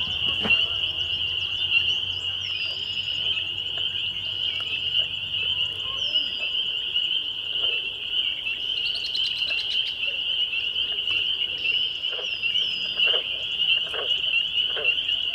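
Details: A dense chorus of spring peepers on a May 2021 evening at Laurel Creek Conservation Area, Waterloo, Ontario, Canada: high, clear peeps merge into one steady shrill wall of sound, with a few faint bird chirps breaking through.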